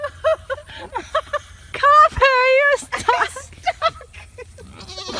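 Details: Fainting goat giving a single wavering, quavering bleat of about half a second, its tremolo clearly heard, set among people talking and short choppy vocal sounds before and after.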